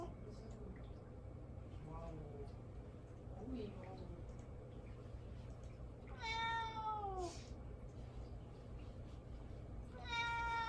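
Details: Pet cat Mame Daifuku meowing for attention while being ignored indoors: faint soft chirps early, then two clear drawn-out falling meows near the end, over a low steady hum.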